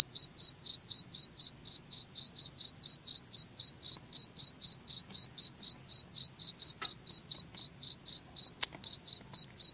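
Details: Cricket giving very even, brief high chirps at a steady four per second, clean and metronomic, with two faint clicks partway through.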